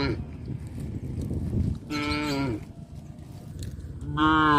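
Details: Two sustained, full-throated moos from cows heading back to their pen through a fish pond area, over a constant low, rumbling background.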